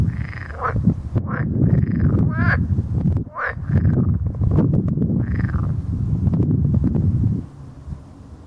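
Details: Edible frogs calling in a dense sequence of short rasping, bubbling croaks, some overlapping, with a low rumble underneath that fades near the end.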